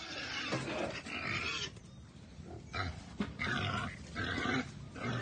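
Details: Wild boar startled in a cage on a Cambodian pig farm, giving harsh, noisy squeals and grunts in broken bursts about a second long, with pauses between.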